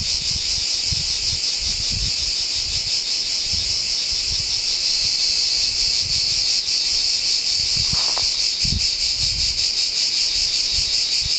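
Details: Cicadas in a pine forest at San Sostene, Calabria, Italy, singing a deafening chorus: a continuous dense high-pitched buzzing drone, steady throughout with slight pulsing, over faint low rumbles.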